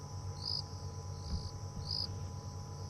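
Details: Crickets on an evening safari drive, after sundown on a hot, nearly windless night, give short, high pulsed chirps every half to one second over a constant high insect trill and a low steady rumble.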